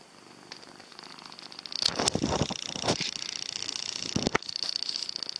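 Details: Domestic cat purring close up: a steady pulsing rumble swells after the first second and grows louder, broken by a few sharp rustling thumps.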